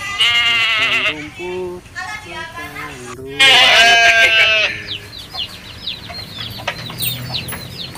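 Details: A goat bleats in short broken calls, then one loud, drawn-out quavering bleat. Thin, high chirping from small birds or chicks and some talking follow.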